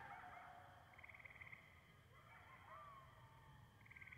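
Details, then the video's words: A group of coyotes yips and warbles in a quivering chorus of wavering trills and short rising glides. A constant high whine and a low background rumble sit beneath them. "Coyotes giving me a call.."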